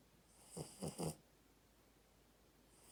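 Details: Snoring puppy asleep makes three quick, raspy snorts in a tight burst, then goes quiet before another soft breath begins.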